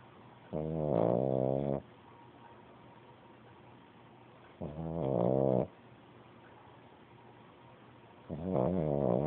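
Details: Pug pup asleep, giving rough, nasal, rattling snores about a second long, three of them spaced some four seconds apart, separated by near-silence.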